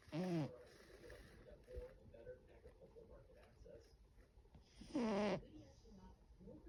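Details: A Russian Blue cat snores on 8 April 2025, giving two buzzy, wavering snore breaths about five seconds apart over a low background hiss and faint rustling.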